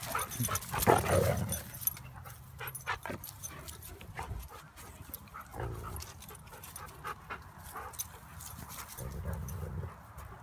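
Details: Husky, wolf dog and pit bull playing together as a pack: low rumbling growls in bursts near the start and end, with panting, scuffling and thumps of rough play between them.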